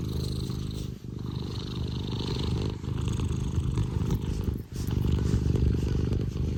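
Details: Affectionate Scottish Fold cat, Tino, purring at full throttle indoors: steady low rumbling pulses with two short pauses where the purr drops away before resuming strongly.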